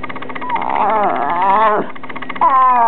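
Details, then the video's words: Taylor, a two-year-old female rat terrier, sharing her opinion indoors: a long, wavering, moaning howl-like vocalization with rich harmonics, sliding up and down, ending in a drop, then a rising whine starts again. "Taylor speaks out."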